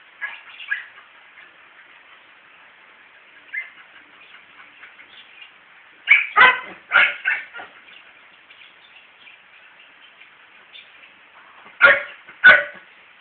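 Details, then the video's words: A male dog pursuing a female gives soft whimpering yips early, then bursts of clustered sharp barks midway and a last pair of loud barks near the end. "A male Dog Trying to convince the female dog to have s3x with him"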